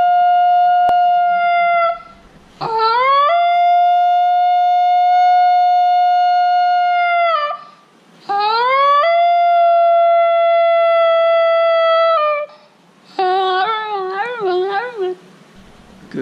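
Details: Female Basenji dog yodelling: three long, steady, harmonic-rich tones, each opening with a swift upward slide and holding level for several seconds, separated by short pauses; the final phrase wavers in a rapid warbling pattern.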